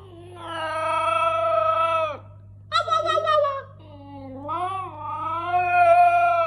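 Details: Siberian Husky puppy howling indoors: long drawn-out tonal wails that hold steady, then a shorter wavering cry dipping in pitch, followed by a rising, sliding howl that swells louder toward the end.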